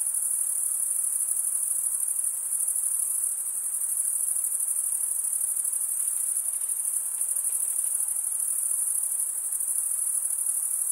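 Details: Continuous cricket stridulation, a bright high-pitched ringing trill sustained evenly from start to finish, faintly throbbing, over a quiet hissy background with no other sounds.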